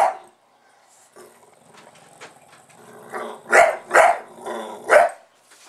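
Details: A Bulldog called Buster barks at the recording camera: after a near-silent stretch with faint murmuring, three loud, husky barks burst out in quick succession.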